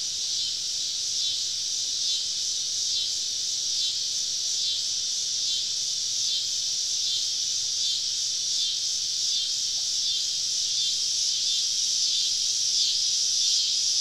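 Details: Cicadas surrounding a woodland camp on a southern summer evening: a sustained, piercing high drone with soft pulsing beats running through it, slowly rising a little in loudness toward the end.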